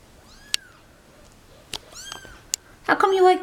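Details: Cat meowing, from a mother and kittens dumped at a turnpike as the mother carries her babies back into her favorite box. Two short, arched meows are spaced a second and a half apart, then human speech ends the clip.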